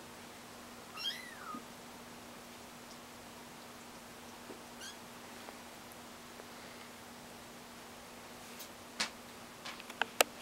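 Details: Kittens learning to walk indoors give a single thin, high meow that curves down near the start, followed by scattered soft clicks and knocks over a steady low hum in a quiet room.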